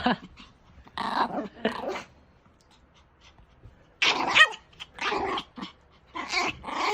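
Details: Angry pet Pomeranian protecting its owner, giving short harsh growling barks in separate bursts, two close together, then a louder run of snarling yaps after a pause.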